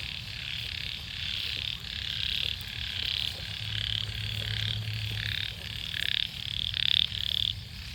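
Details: Frog chorus in flooded rice paddies in Sisaket, Thailand, on a morning after heavy rain: overlapping bursts of high, rasping calls, some short and pulsed, over a low background hum.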